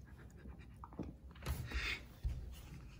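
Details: Siberian Husky puppy named Sirius indoors, soft breathy panting puffs in short uneven bursts, a louder huff near the middle, quiet room background.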